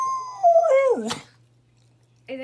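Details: Dog indoors reacting excitedly after hearing a phone call; a drawn-out howl slides steadily downward in pitch and ends in a sharp burst, then after a pause a short second tonal cry begins.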